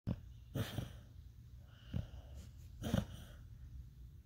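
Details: Beagle dreaming and snoring in its sleep: soft, low snorts and wheezy breaths at irregular intervals, with several sharper puffs of air, in a quiet room.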